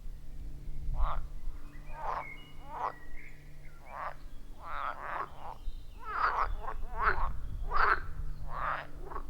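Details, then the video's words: Forest pond frogs in the wild produce short, rough croaks roughly every second, uneven in timing, several individuals overlapping, captured on an iPhone 14 Pro with a Shure MV88+ microphone; low background hum throughout. "30 Minutes of Frog Sounds at a Forest Pond"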